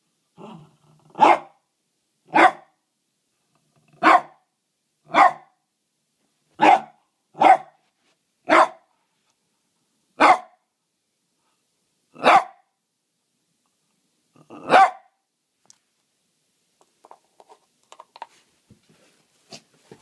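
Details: Pet dog Archie barks at a stone in a small room: a steady run of about ten sharp single barks roughly one second apart, then quiet with faint clicks and shuffling.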